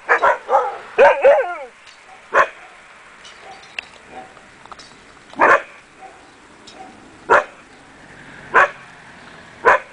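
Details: Akita Inu puppies from the Empire des Samouraïs kennel: a few quick yelping barks and a short falling whine at first, then single barks spaced about two seconds apart over a quiet background.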